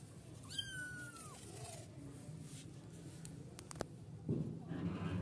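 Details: Kitten at play gives one thin, high meow that holds level, then slides downward, heard over a steady low hum; a few sharp clicks and a soft thump follow.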